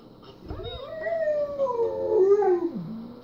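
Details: German Shepherd dog at home howling as it watches footage of another German Shepherd riding in a car; one sustained tonal howl climbing then slowly sliding downward over about two seconds, ending in a lower drop, faint hum underneath.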